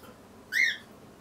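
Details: Tiny chubby kitten, one of Daisy, Darcy and Diesel, on the day their eyes first opened, gives a single short high mew that rises and then falls, with clear overtones, over a quiet indoor background.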